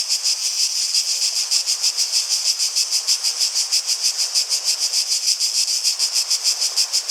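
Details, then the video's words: Rapid, regular throbbing of cicadas singing together, a piercing high-pitched buzz pulsing several times a second without a break. "Relaxing Sounds of Cicadas"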